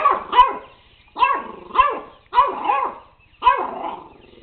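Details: Puppy barking at a robot dog, giving four bursts of paired yappy barks roughly a second apart, each with a rising-falling whine-like tone, over faint mechanical clicking.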